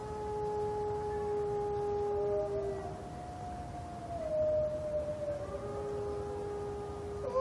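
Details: Several captive gray wolves at Brookfield Zoo howl together in a "howling war" of long, steady, overlapping tones that slowly bend up and down.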